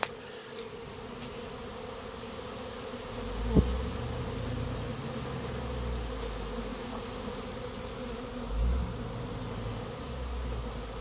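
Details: Hundreds of Western honey bees (Apis mellifera) on a play flight around their hive, not swarming, make a dense, steady drone with a few soft bumps.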